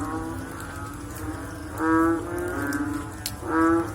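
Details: After rain, frogs give deep, resonant, moo-like notes, two strong calls near the end, with fainter callers and light ticking drips in between.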